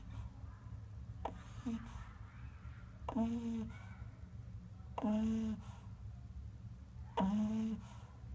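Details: A pug snores in its sleep inside a small room: four droning, slightly rising snorts come at an even pace of about one every two seconds, with low background hum throughout.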